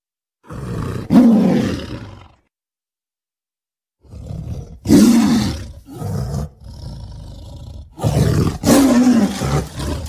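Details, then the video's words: Deep, rumbling tiger roars in long drawn-out bursts with a falling, groaning tone, separated by short silences and quieter rough breaths between them. "tiger sounds"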